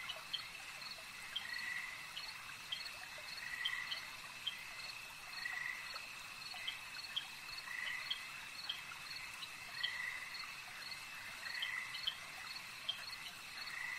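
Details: Frogs at a lake give short raspy croaking bursts roughly every two seconds. A steady high insect trill and faint clicking pulses run continuously beneath them.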